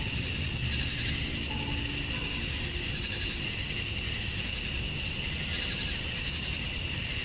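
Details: On a Georgia summer evening at dusk, male cicadas chirp to attract females. Their sound is a constant high-pitched drone with a buzzy shimmer that rises and falls in irregular beats.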